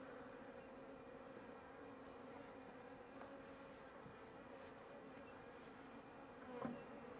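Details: Steady hum of a small honey bee colony near the end of winter, a struggling hive with no stores, while frames are checked; the drone stays even and low the whole time, with faint handling ticks near the end.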